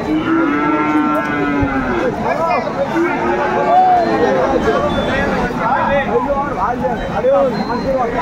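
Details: Friesian and crossbred bull calves at a busy cattle market, Aftabganj haat, Dinajpur, Bangladesh, 21 August 2024; several drawn-out tonal moos and bellows rise and fall over dense crowd chatter and market din.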